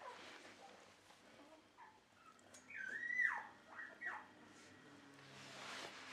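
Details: Indoors at a Dutch Shiba Inu and Samoyed kennel on 4 November 2018, near a just-cleaned bed, a dog gives three sliding, rising whines in quick succession midway through, with faint shuffling before and after.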